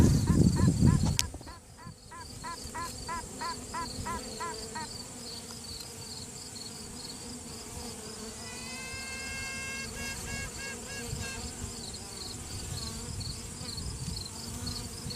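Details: A virgin queen western honey bee pipes from inside the hive during a routine hive check, giving short, buzzy, trumpet-like toots to assert dominance; the owner suspects the answering call is another virgin queen, and the workers pause.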